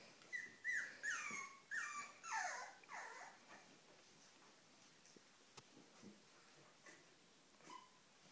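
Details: Cavalier King Charles Spaniel whimpering: a run of about five high, thin whines that slide downward in pitch over the first three seconds, then quieter, with only faint clicks and a brief short whine near the end.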